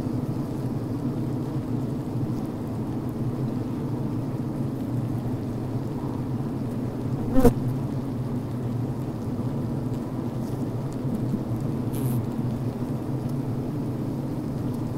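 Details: A recording made inside a healthy honey bee hive beside a brood frame catches a dense, even, low hum. A single sharp tap breaks through midway, with a faint rustle later on.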